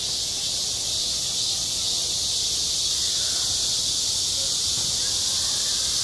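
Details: A school playground in high summer rings with cicadas. Their unbroken, intense high buzz dominates throughout, with only very faint scattered sounds below.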